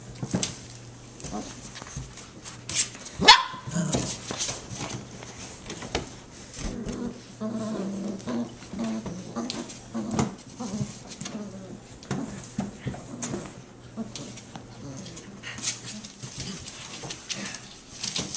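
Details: Six-week-old Standard Poodle puppies at play, giving short scattered yaps and yips, some higher and whiny, amid scuffling and a low steady hum, with a voice speaking faintly now and then.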